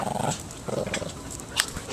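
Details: Six-month-old female Shih Tzu puppy playing tug during dog training, giving short rough low growls in two brief bursts, with a sharp click near the end and soft background noise.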